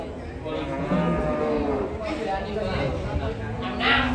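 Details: Large cattle, one of three big animals being unloaded from a truck, give a low drawn-out moo while men talk nearby in Indonesian and Javanese.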